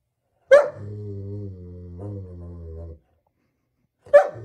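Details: German Shepherd dog gives one sharp bark followed by a long, steady, low moaning tone of about two and a half seconds, then falls silent before a second sharp bark at the end.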